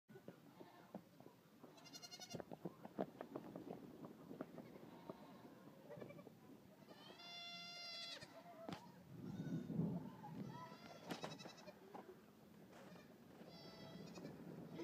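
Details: Friendly farm goat kids on their nightly run, used to people: a few short harmonic bleats rise above busy rustling, trampling and movement noise, with scattered quieter cries throughout.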